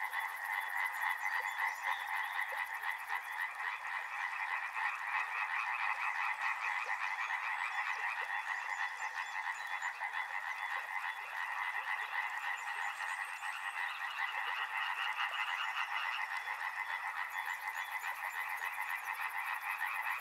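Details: Frogs calling by a river in a dense, continuous chorus: rapid overlapping croaks pulse in two bright bands, middle and upper pitch, with a faint high hiss at the start and end.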